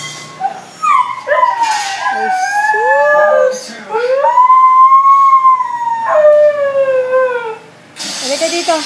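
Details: Indoor Siberian Husky producing a series of wavering howls and yodel-like slides, then a long arched howl rising and easing down, ending with a falling tail as a person begins calling.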